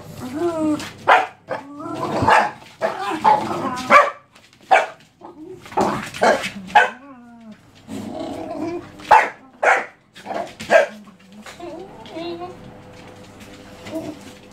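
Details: Jessy the Jack Russell and two pups playing and play-fighting: short sharp barks and yelps in irregular bursts, some with rising-then-falling whines, spaced a second or so apart, with scuffling between calls.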